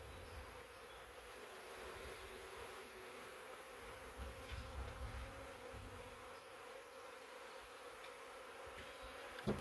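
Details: Thousands of honey bees from a huge swarm taken in a swarm trap, originally from a wild woodland hive of three years; continuous low buzzing drone, with a soft rumble and a sharp knock near the end.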